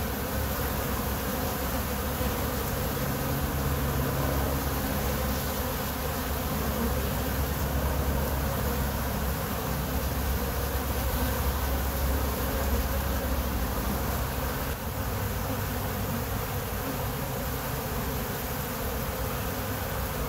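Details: A continuous, even drone from many honey bees kept by their owner, with low hums wavering as single bees pass close. The rushing texture stays constant for twenty seconds.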